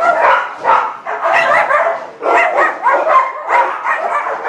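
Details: Shelter Chihuahua mix, a small young male around fifteen months old, in San Gabriel, California, lets out dense, rapid high-pitched yips and barks in close clusters, hardly pausing across the few seconds.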